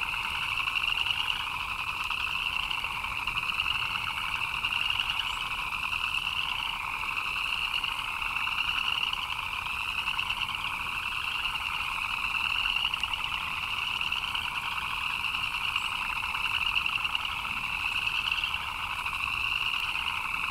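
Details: A long stretch of frogs chirping in the rain: a thick, pulsing chorus of fast chirps that rises and falls in loudness every few seconds, steady rainfall hissing in the background.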